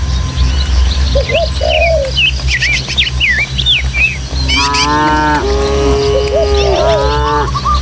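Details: Dozens of tame village cattle run along countryside hill paths toward their pen; long, deep, harmonic moos swell in the second half, overlapping one another, while many small birds chirp and twitter throughout against a steady low hum.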